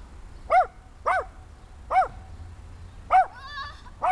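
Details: Six-month-old Small German Spitz (Kleinspitz) puppy barking: five sharp, high yapping barks spaced roughly half a second to a second apart, each with a brief arched pitch, over quiet indoor background hum.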